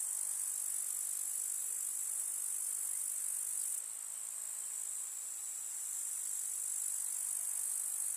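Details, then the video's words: Countryside meadow in summer, grasshoppers producing a sustained, sizzling high chirr from many insects at once, softening for a couple of seconds partway through before returning to full strength. "КУЗНЕЧИКИ. Слушать звуки летнего луга"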